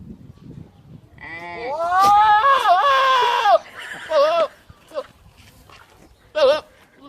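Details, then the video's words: Goat making loud, wavering bleats: a long harmonic-rich cry rising then sagging over about two seconds, followed by shorter quavering bleats and a final brief cry, with some human voices in the background. "Goat starts making weird noises whilst filming!"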